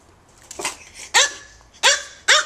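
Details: High, sharp barks from AKC micro teacup poodles Mokona and Momoko in Hong Kong: a faint softer yap, then three loud piercing barks in quick succession.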